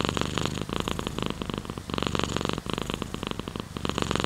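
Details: Domestic cat purring steadily close up, a low rough rumble broken into rapid pulses, rising and falling in phrases of about a second as the cat breathes in and out.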